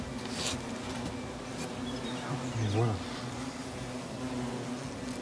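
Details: European hornets flying back into a treated nest, some coming out again: an even, low wing drone holding steady throughout, with one louder burst as a hornet passes close midway.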